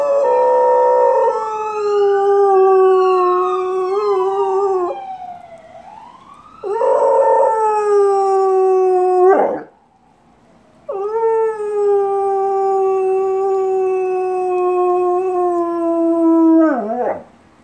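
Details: A black Labrador Retriever howls in long, drawn-out wails, answering a passing fire truck siren.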